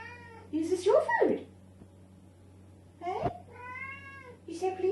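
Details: Pet cat meowing loudly at dinner time, begging for her food while her owner talks to her; drawn-out harmonic meows around 0.5–1.5, 3 and 4.5 seconds, mixed with a woman's speech and a steady low indoor hum.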